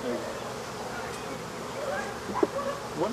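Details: African honey bees buzzing during removal of their hive, the bees being killed: a steady, dense droning hum with faint scattered tones rising above it and a brief human voice near the end.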